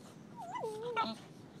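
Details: Beagle puppies, four months old, playing with their mother Mango on a Costa Rica beach; a thin whistled whimper gliding up then down and holding, ending in a brief harsher yelp, with faint surf-like hiss behind.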